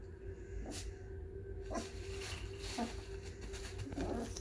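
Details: A 4-week-old bloodhound foster puppy grumbles in soft, low, throaty bursts over a steady background hum.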